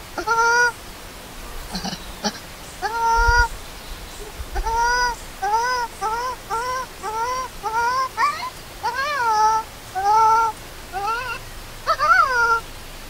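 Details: Baby monkey left alone by its angry mother, crying loudly: a dozen or so tonal wailing cries, each a clear harmonic note, some flat and others arching up then down, repeated every second or so.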